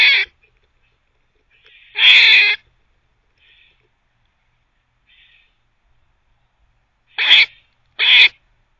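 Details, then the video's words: A teething squirrel giving harsh, noisy barks. A loud rasping burst near the start and a longer one at two seconds, a few faint notes, then two sharp barks close together near the end, in silence. "Squirrel barking (while teething)"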